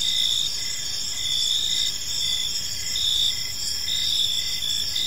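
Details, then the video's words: Evening park chorus of crickets, high and shrill, several insects trilling continuously at different pitches while one voice pulses in short even beats about once a second; faint low rumble beneath. "Cricket Sounds in a Peaceful Park"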